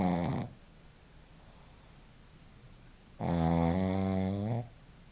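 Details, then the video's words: Joaquim, a Shih Tzu, asleep and snoring; one snore fades out at the start, then after a quiet pause a second long, rattling, buzzy snore of about a second and a half follows. "Shih-tzu roncando - Joaquim"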